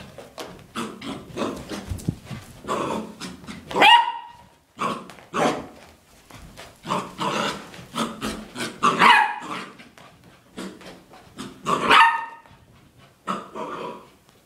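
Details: Puppy named Nikko playing wildly, chasing his reflection in a mirror and chasing shoes, giving short sharp barks and yips at irregular intervals, some louder and ringing, amid scuffling and movement noises.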